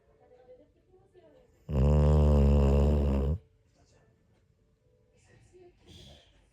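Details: New Year's morning snoring from a sleeping Pit Bull: a single loud, deep, vibrating snore of about one and a half seconds set between quiet stretches with faint soft breathing.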